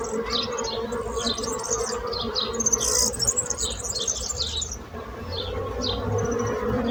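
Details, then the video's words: A low, even bee hum runs underneath many quick, high, descending bird chirps that sound nearly every half second, the birdsong standing out clearly above the drone. "So brutzit abelles - Bees sound - Bees buzzing sound effect"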